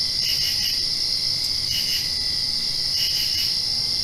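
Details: Night crickets just after a rain shower: continuous shrill trilling overlaid by short clusters of pulsed chirps, three bursts in about four seconds.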